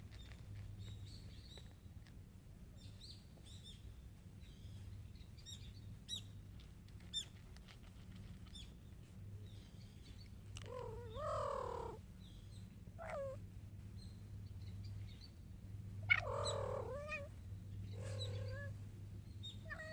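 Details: Mother cat Jungseong, after eating alone for about eight minutes and looking all around, calls her hungry kitten Orae to come eat: four drawn-out, wavering, harmonic meows in the second half, over birds chirping and a steady low hum.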